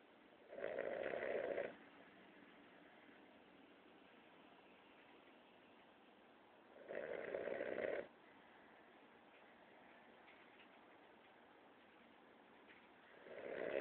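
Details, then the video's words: A Boston Terrier taking a mid-day nap snores in loud, rasping bursts roughly every six seconds. "KILO The Boston Terrier - Snoring"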